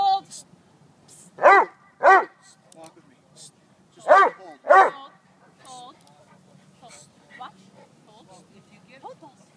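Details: Neapolitan Mastiff male doing bark and hold and bite work training: four loud, deep barks in two pairs, mixed with a handler's spoken commands and praise.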